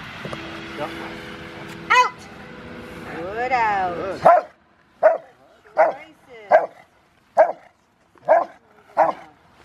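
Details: Five-year-old Rottweiler named River v Schwarzerwald during bite training ahead of a ZTP trial, January 20, 2020: speech and other sounds first, then a steady run of loud single barks about once a second.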